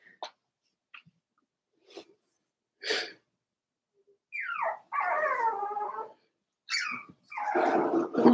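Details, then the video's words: Four-week-old Cavalier King Charles Spaniel puppies in an indoor puppy pen: scattered soft squeaks and short yips, then longer whimpering whines with wavering, falling tones near the end. "Daisy's Cavalier Puppies Livestream: 4 weeks old"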